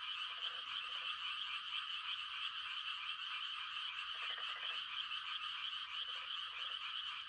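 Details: Night frog mating chorus in the countryside during rice-planting season: steady high shimmering trills overlaid by brief lower buzzy croaks in short bursts of two, repeated several times.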